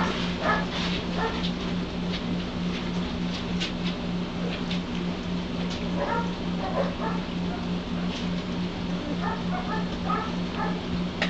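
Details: Litter of White Shepherd puppies, 11 days old and just beginning to open their eyes and ears, giving short high squeaky whimpers in scattered bursts over a steady low electrical hum.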